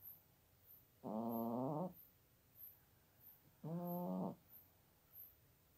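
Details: America, a female cat just shy of 17, snoring while asleep in her basket next to a computer in Toowoomba, Australia: two long, droning, whistly snores about two and a half seconds apart, with softer breaths between; faint regular high-pitched ticks.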